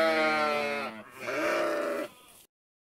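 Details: Sheep uttering a single drawn-out bleat, clear and harmonic at first, then breaking into a rougher, wavering second half before fading out.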